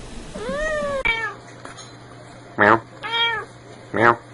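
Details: Cats and kittens meowing: one drawn-out arched meow, then a short descending mew, followed by sharp clicking knocks and a further brief meow between them.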